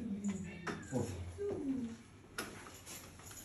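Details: An angry domestic cat gives low, drawn-out moaning yowls that slide downward in pitch, with a few sharp clicks and knocks in between.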